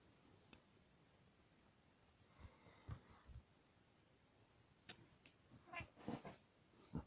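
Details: A rescued kitten together with the household cat indoors, recorded 10 July 2019; short meows and soft squeaky calls in brief bursts near the end, with quiet rustling and thumps of play between them.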